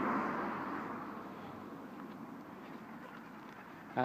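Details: Outdoors, muffled human speech over passing traffic noise ends in a brief sharp sound, with no animal voice heard.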